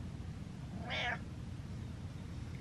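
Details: House cat, treated as king of the castle while playing a turnaround game with its owner, gives a single clear, bright meow lasting about a quarter second against low background hum.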